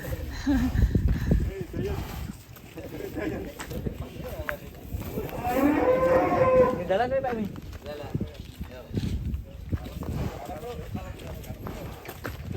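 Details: A massive fattened cow lets out a drawn-out lowing moo midway through, rising then falling in a broad harmonic arc, over a background of steady chatter and shuffling movement.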